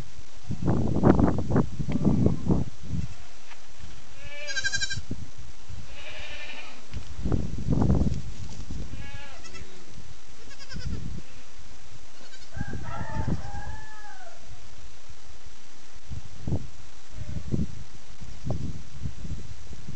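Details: Fainting goat mothers and their new baby kids, on the kids' first day outside running and jumping, give wavering, nasal bleats: some high and thin, others deeper, in scattered bursts over low wind or handling rumble.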